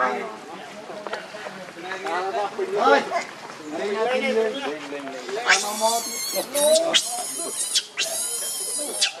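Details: Rainbow the monkey, very angry and protecting Lucie from Kachoy, starts with rough wavering grunts and then breaks into loud, high, sustained screams in several long bursts during the second half.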